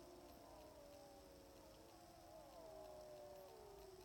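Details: Sixteen timber wolves in Wrangell-St Elias National Park, southeastern Alaska, howling from a hill about 700 yards off in September; layered overlapping howls, one clear voice gliding smoothly downward near the end, quiet background hiss.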